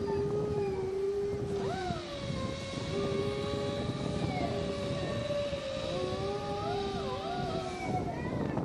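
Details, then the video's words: Female Siberian Husky named Kara, black with blue eyes, howling like a wolf; sustained, level howls with occasional upward swoops and wavering bends, several overlapping pitches, against steady low rumbling noise. "Siberian Husky Female Howling"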